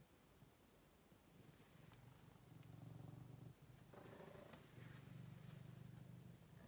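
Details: Purring of Angelus, a gentle male rescue cat found thin in a basement, starts faintly and then grows into a continuous low, rhythmic rumble with short breath breaks; soft rustles and a light mid-range sound near the middle.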